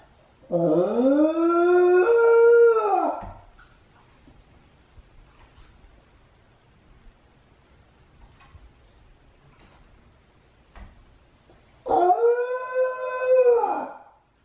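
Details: Two long wavering howls from Chame, an attention-loving Shiba Inu, who repeatedly howls while left alone at home during the other dog Mame's walk. Each howl swoops up and falls, with a long quiet gap between them.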